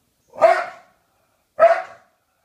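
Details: Two sharp, loud barks from Maxwell the English Bulldog on the sofa, about a second apart, each a short harsh burst fading quickly, with silence around them.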